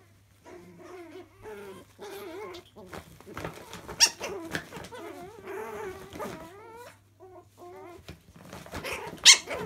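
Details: Chihuahua puppies playing in a laundry, giving wavering, whiny growls in bursts with short gaps, the pitch rising and falling, plus a few sharp yips and scuffling noises toward the end.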